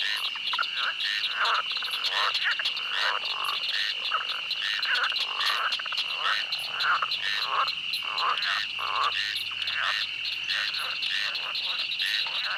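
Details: Frogs calling in a swamp: many overlapping croaks in short pulses, several per second, with a steady high insect drone running underneath throughout.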